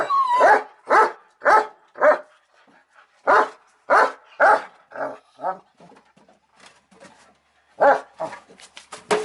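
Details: German Shepherd Odin barking repeatedly, nearly two barks per second in uneven runs, the first bark rising into a whine, with softer barks and short gaps between loud bursts.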